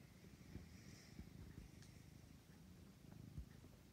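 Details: Domestic cat purring while kneading, a low continuous rumble with fine pulsed texture, soft thumps and brief faint rustles over a quiet indoor background.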